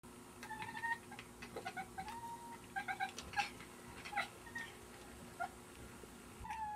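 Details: Cats trying to catch a fly make a run of short, clipped chirps, some rising and some level. They come in quick bursts across the clip over a soft room background with faint knocks.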